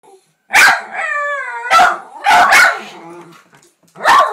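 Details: Two pet Jack Russell terriers in a barking contest at home on a birthday: sharp broadband barks at about half-second spacing, with a drawn-out whining howl with stacked harmonics sliding downward between them.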